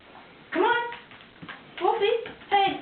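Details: Siberian Husky named Wolfie protesting the threat of a bath indoors; three drawn-out, bending, yodel-like howls, each rising then sliding down, with gaps between them and a person coaxing the dog into the tub.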